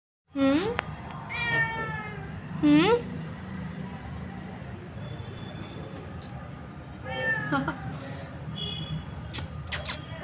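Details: Hungry kitten meowing: several loud, clear meows that rise then fall, three close together in the first three seconds and another near seven seconds, over steady room hum, with a human voice speaking in the background.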